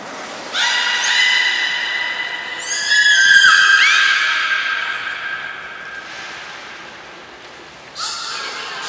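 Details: Captive belugas Taanya, Nana, Mirai and Niko at a training session, Port of Nagoya Public Aquarium, 11 July 2020: bright harmonic squealing tones, steady then sliding upward mid-clip, fading out before a final short burst.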